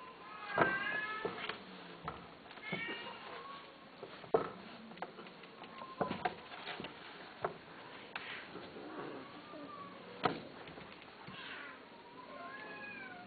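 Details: A male and a female Persian (Shirazi/Himalayan) cat yowl while mating, drawn-out wavering cries rising and falling in pitch.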